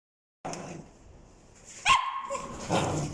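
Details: Male red-and-white Welsh Corgi, born June 2020: a short, sharp bark near the middle, then a second rougher bark-like burst, with quiet room noise between.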